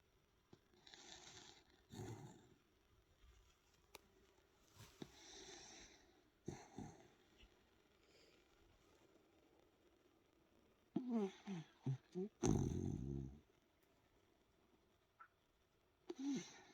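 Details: Dachshund named Hemi snoring while asleep indoors: soft, irregular breathy snores with low rumbling bursts, quiet stretches between, and a louder snorting run of snores near the end.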